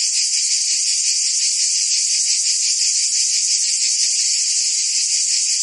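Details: In the heat of a Provence summer, cicadas fill the air with a steady, sizzling high buzz, finely pulsed and continuous, nothing else audible.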